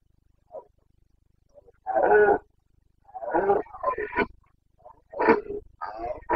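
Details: Roaring Carpathian stag of Bucovina in the breeding season, September 2022: a loud hoarse bellow followed by a run of rough, grunting roars in quick succession, with a few fainter short calls between.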